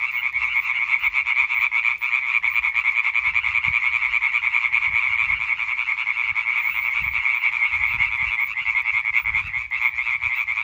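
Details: European tree frogs singing together on 20 May 2023: a long, dense chorus of fast, nasal, rattling croaks from many callers, continuous throughout, over scattered low-pitched background rumbles.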